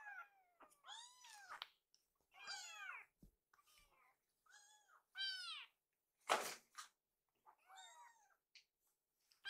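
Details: Several hungry rescued kittens mew in a kitchen while food is readied, about seven short arched meows in quick succession, some overlapping, with one sharp clatter partway through.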